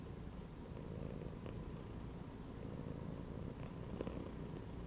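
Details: Contented cat laid inside a gym belt, its purr a smooth unbroken low hum throughout, marked by two faint brief clicks.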